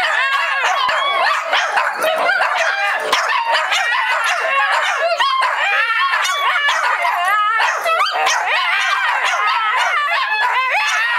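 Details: Group of Shih Tzus singing along in chorus, a steady wall of overlapping wavering howls and yips, pitches sliding up and down, sustained without pause for the whole stretch.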